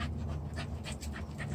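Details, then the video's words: Corgi panting while being bathed, a reaction that happens every time: quick breathy bursts roughly every half second over a constant low indoor hum. "This is how my corgi reacts to getting bathed"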